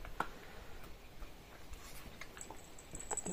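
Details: Quiet indoor room with faint ticks, taps and soft patter, and no animal voice heard.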